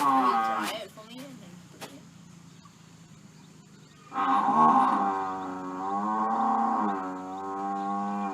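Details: Irritated buffalo giving harmonic, moo-like calls: a short wavering call at the start, then after a quiet gap a long, loud, drawn-out bellow whose pitch dips and rises over about four seconds.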